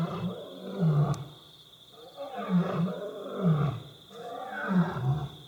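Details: Two lionesses roar in the middle of the night outside a building at Bilimungwe Bushcamp: deep, rumbling grunting roars in heavy bursts every second or two, felt through the stone floor.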